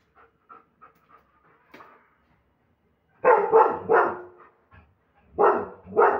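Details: German Shepherd barking aggressively and powerfully: a few soft short yips, then loud harsh barks in two bursts of three and two, each rough and broad with strong energy around 500 to 2k.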